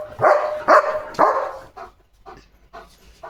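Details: Excited German Shepherd jumping near the gate and barking; three loud harsh barks close together, followed by softer, lower barks and yips.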